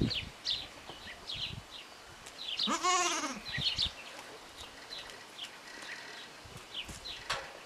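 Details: Goat kid only three days old, born with front-leg malformation and fitted with makeshift tubing-and-tape splints, Parignargues, France; single wavering bleat near 3 seconds, surrounded by frequent thin bird chirps and light rustling.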